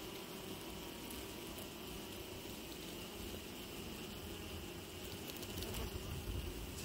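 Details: A swarm of Western honey bees (Apis mellifera) being recovered at Cerny on 14 April, a large mass of bees, in late afternoon or evening. They give a dense, steady, unbroken roar of buzzing at close range.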